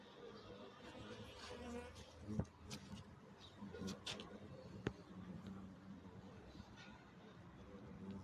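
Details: Oriental hornets in a siege, giving a steady low droning buzz with stacked harmonic bands that rises and falls in loudness, broken by a few sharp taps and clicks over a faint noisy background.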